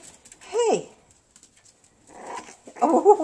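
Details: A single arched, high-pitched whine from one of three puppies, two Havanese and a bolonka, followed by softer muffled whimpers and a person's voice nearby.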